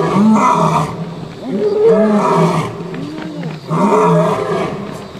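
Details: Lion roaring in a series of deep, harmonic bursts, each lasting under a second, with loud calls near the start and again after a pause of about two seconds.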